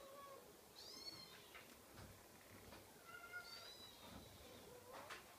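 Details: Scottish Fold kitten crying with several high, thin meows that rise and fall, spaced a second or two apart, with soft knocks in the background.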